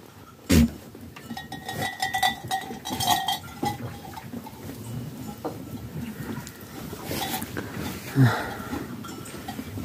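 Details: Domestic sheep from a flock with young lambs, giving wavering, harmonic bleats, drawn out between about one and three seconds, over busy barnyard rustling with a few sharp knocks.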